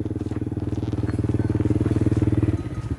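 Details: A motorcycle engine throbs in fast, even pulses close by, with faint background noise and no animal heard.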